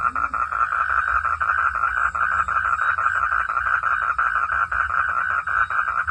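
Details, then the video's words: A frog cries in the rain, giving a continuous run of fast, clipped, buzzy notes at a steady pace. A brief low sound is heard at the start, and a low hum persists throughout. "កង្កែបស្រែកពេលភ្លៀងធ្លាក់ _ frog sound at Raining"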